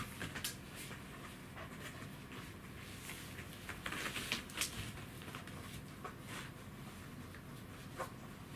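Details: Pet Corgi Goro, living with degenerative myelopathy, indoors on 25 August 2018, pants in quick, breathy, irregular puffs, several each second, with a small-room hush behind.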